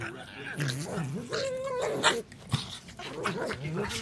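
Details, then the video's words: Pug making goofy sounds: nasal, wavering grunts and whines that rise and fall, with a brief higher sustained whine in the middle, mixed with some snuffling. "Crazy Pug, goofy sounds"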